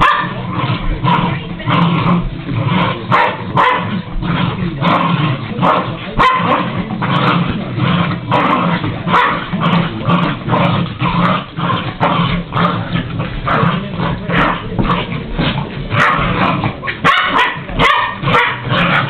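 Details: Rapid, nearly unbroken barking and yipping from a ten-year-old but puppyish pet dog. Harsh bursts repeat several times a second for almost twenty seconds.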